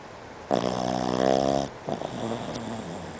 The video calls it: Snoring Boston Terrier